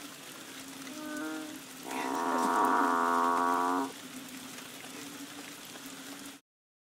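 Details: Frogs, probably banded bullfrogs, calling during the rains outside a bungalow on Koh Lanta, Thailand, in March 2011: a soft nasal note, then a loud, steady, moo-like hum lasting about two seconds, over a continuous low drone.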